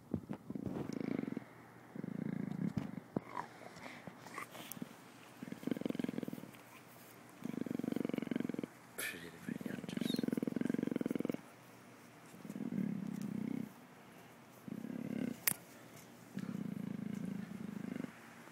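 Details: An Amur leopard named Anju purrs in low, rumbling bursts of one to two seconds, separated by brief pauses.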